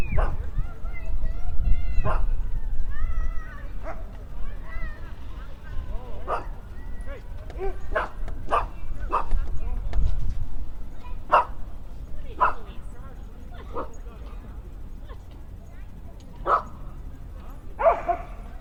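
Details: Dogs at play in the off-leash area of Toronto's downtown Trinity Bellwoods Park in spring, giving scattered short barks and yips at irregular intervals, mixed with people talking nearby and a steady low urban hum.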